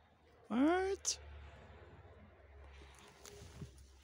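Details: Feral cat being fed its favourite chicken bones: one short, loud, rising meow lasting about half a second, then a sharp click and quiet background shuffling and faint crunching.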